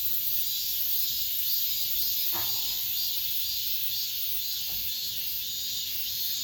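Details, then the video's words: The summer's last cicadas droning inside an apartment estate, a constant high buzzing wall of sound with soft rhythmic surges, broken briefly by a couple of faint low knocks. "올 여름 마지막 매미소리"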